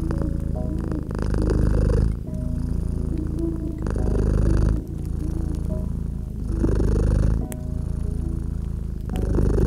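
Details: Rhythmic feline purr by a gently crackling fireplace, deep rumbling waves repeating about every two and a half seconds, fire pops scattered throughout and quiet steady music tones underneath.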